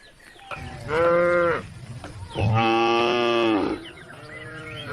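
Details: Cows roaming country roads, calling the herd home to the barn: two long, harmonic moos, the first about half a second long and the second over a second, each holding a steady pitch before fading.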